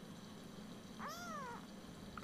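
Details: Drawn-out bowed meow, about half a second long, from Ursa, an almost four-week-old Siamese kitten woken early in the morning; steady low room hum underneath.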